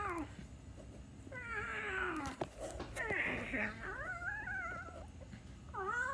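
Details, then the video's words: Indoor cat giving long, wavering meows that slide down and then climb in pitch, one running into the next, with a human voice talking close by and faint room noise. "The cat meow"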